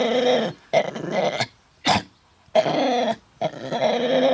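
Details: A dog trying to sing at Bredagh, Carrigallen, County Leitrim, Ireland, on August 27th, 2016, suffering from a bad cough: harsh raspy bursts of about half a second to a second, separated by short silences, with one brief sharp hack.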